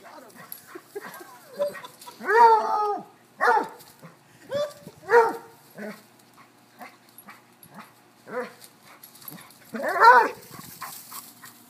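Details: Dogs playing chase: a cocker-hound cross, a Basset hound and a corgi. A run of roughly ten deep, bellowing barks comes at uneven intervals, the loudest near the start and end.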